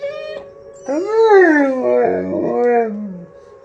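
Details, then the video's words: Blue Bay Shepherd and Lycan Shepherd dogs howling along to a monthly tornado siren test: a steady siren tone underneath as rich, harmonic howls rise, bend and slide downward over about two seconds. "Howling Lycan & Blue Bay Shepherds"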